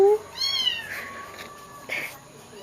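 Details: Pet cat mourning a kitten named Jolly, killed by a dog; one drawn-out, falling meow with bright overtones, followed by quiet indoor murmuring from a person.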